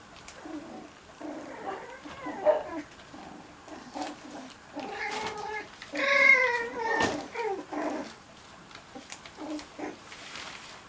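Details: Playing Cocker Spaniel puppies give wavering, tonal whines and squeals, some rising then falling, clustered in the middle, with clicks and scuffles of movement throughout.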